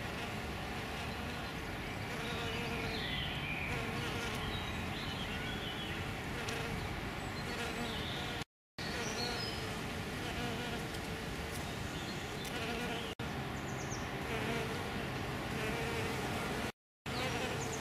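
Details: Hairy-footed flower bees, males and a female, foraging at Green Alkanet: a continuous droning hum that rises and falls in strength, broken by two short silences, with light chirping birds behind.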